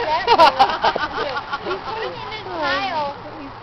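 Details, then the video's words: Wolf pups displaying dominance over a food dish, filmed on a family vacation: high, wavering whines rise and fall and overlap, with a cluster of sharper yelps early on. "Wolf Pups Displaying Dominance for Food Dish."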